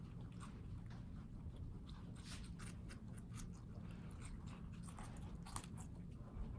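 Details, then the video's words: Pet guinea pigs in New York City eating watermelon, mostly the light green rind: crisp irregular crunching bites and wet chewing clicks throughout, over a steady low indoor hum. "Guinea Pigs Eating Watermelon ASMR crunch"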